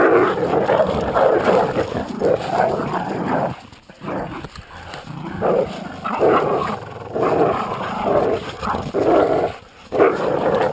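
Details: Terriers, a Jack Russell Terrier and an American Staffordshire pit bull, playing tug of war, growling in rough, rumbling bursts of about a second each, broken by brief pauses, with scuffling noise throughout.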